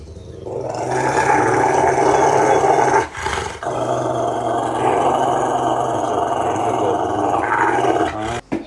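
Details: A Rottweiler rumbles and growls during bath time, towel drying and brushing. A long, continuous low growl holds for about three seconds, breaks off briefly, then resumes steadily until near the end.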